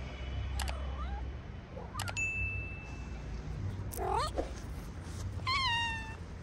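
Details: Stray cats in a small park, some of them sick and sneezing, with a shelter where they sleep; a few brief chirps are followed by two drawn-out, clearly toned meows, the last sliding slightly downward, over a low background rumble.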